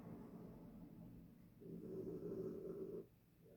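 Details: Harriet the dog asleep in her bed, giving one long, low, rasping snore that swells for about a second and a half, then softer breathing.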